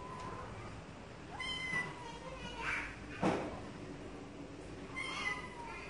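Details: Cats meowing: a few short tonal meows with rising harmonics, separated by quiet gaps, plus a sharp broadband click or knock near the middle.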